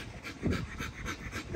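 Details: Nyla, a female XL ghost tri-colour American Bully, pants hard after a workout, about five quick rhythmic breathy huffs in under two seconds, steady and even, with a faint noisy background.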